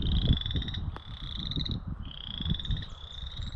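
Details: A chorus frog in a spring marsh of cattails, dogwood and grasses along the K&P Trail south of White Lake Road on April 11, 2021 gives two rapid, high, pulsed comb-like trills over low wind rumble.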